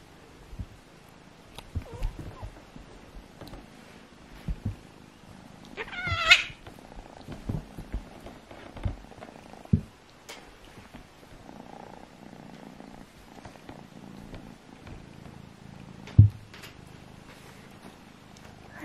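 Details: Two kittens, Alfonso and Amur, play-fighting to find out which is strongest: a low steady purr under scattered thumps and scuffles, with one short rising meow partway through.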